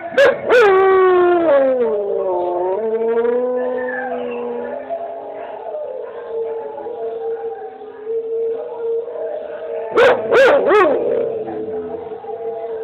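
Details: Pet dog howling in answer to another dog heard from a screen: long wavering tonal howls with rich harmonics, sliding down then holding steady, broken by two bursts of short sharp yelps at the start and near the end.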